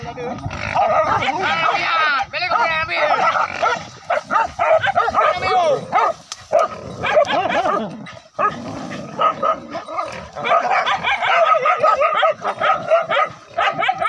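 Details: Hunting dogs, four village dogs, cornering a wild boar during a forest hunt: rapid overlapping yelping and baying barks, rising and falling in bursts, with people's voices among them.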